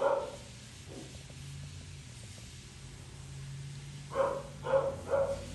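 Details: A Poodle mix being groomed gives a single bark, then after a pause of low humming a quick run of three yappy barks at the end.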